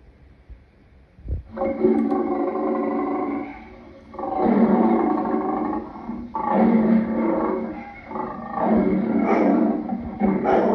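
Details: Lion roaring in long, drawn-out throaty bursts of about two seconds each, rich in harmonics, following one another with brief pauses and steady loudness.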